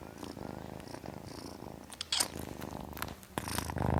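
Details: Kitten purring in a low pulsing rumble, broken by sharp breathy bursts and a louder rasping noise near the end.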